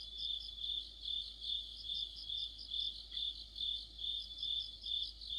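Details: Autumn night chorus of crickets and companion insects near a streetlight, a high, ringing stream of chirps pulsing steadily around two and a half times per second, many voices blended, background otherwise quiet.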